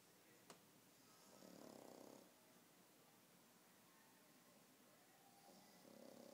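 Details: Softer snoring from a pug dozing after the dog park: two drawn-out, breathy rumbles several seconds apart, with a brief click early on and otherwise quiet surroundings.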